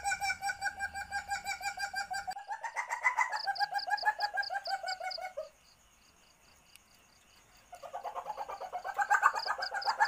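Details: Mating chatter from an Asian palm civet in heat, a sound used to lure civets: fast, harmonic pulsed chatter that climbs in pitch, breaks off into near silence for two seconds, then returns, with high clicking pulses above.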